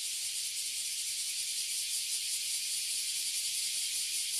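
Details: Annual chorus of oily cicadas and bear cicadas in a tree, Toyohashi City, Japan: an ear-splitting, constant high buzz with a subtle fast pulsing texture and nothing else audible.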